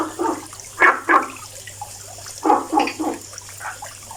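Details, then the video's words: Short, knocking frog croaks come in uneven pairs and triplets, loud then trailing off, with a low background hum throughout. "FROG SINGING VOICE making noise"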